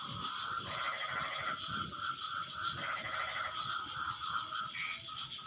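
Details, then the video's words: Post-rain frog chorus with several callers answering each other; buzzy pulsed trills rise and fall in overlapping bursts above a continuous high-pitched background drone. "Suara Kodok No Copyright sangat MERDU saling BERSAHUTAN"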